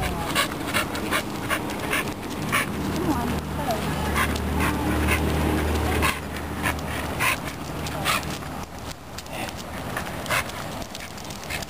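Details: Staffordshire Bull Terrier Megatron, an excitable dog bound for the dog park, pants rapidly at roughly two and a half breaths per second, while a person talks and coaxes him along.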